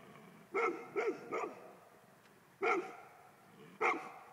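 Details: A male Golden Retriever's barks: three quick ones in a row, a pause, then two more single barks, each short and ringing with clear overtones against a faint background hiss.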